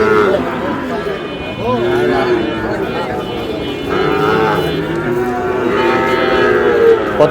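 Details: Sahiwal breed bull calf purchased by a farmer from Noakhali on 27 July; several sustained, tonal moos swell and fade over busy background talk, with people speaking throughout.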